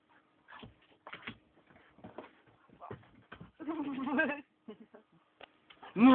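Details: Akitas playing: scattered short yips and clicks, then a wavering, harmonic whine-like grumble lasting under a second midway, some brief human voices, and a sharp, loud rising yelp right at the end.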